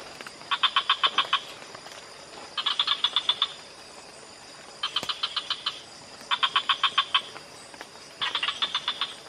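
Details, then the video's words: On a night walk in Imbak Canyon, Borneo, a frog gives bursts of rapid clicking pulses, each series under a second, repeating every couple of seconds. "Frogs calling in Imbak Canyon, Borneo"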